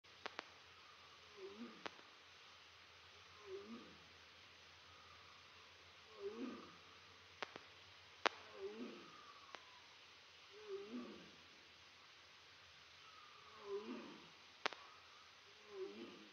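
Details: Aria, a tiger at Big Cat Rescue, calls for snacks: short harmonic moaning calls repeated roughly every two seconds, about seven in all, with sharp clicks in between and a quiet indoor background.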